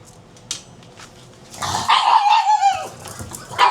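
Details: Pug at breakfast time, a faint clatter first, then a loud drawn-out whine from about halfway, tonal and wavering, sliding downward before trailing off, with a sharp yip at the very end.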